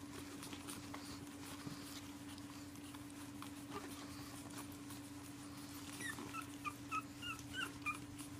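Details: Pugs protesting bedtime, refusing to go to bed at night; after a long stretch of low steady hum, a run of short, high, thin whimpers rises and falls over the final two and a half seconds.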